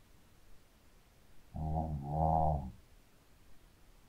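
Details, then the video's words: Snoring from a sleeping Shih Tzu dog: a single soft, low, throaty snore of about a second, split into two rumbling pulses, in an otherwise quiet room. "Hund schnarcht 🐶 Shih Tzu schläft und schnarcht"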